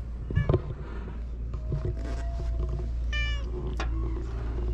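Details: Stray cats met on a cat island, filmed with a GoPro: two short, bright harmonic meows, one early and one near the three-second mark, over a steady low rumble and scattered knocks.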